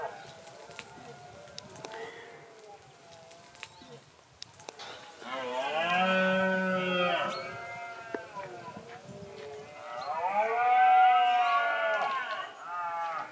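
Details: Red deer during the rut giving two long, moaning, harmonic bellows near six and eleven seconds, each lasting about two seconds, with a softer drawn-out groan early on against a quiet outdoor background.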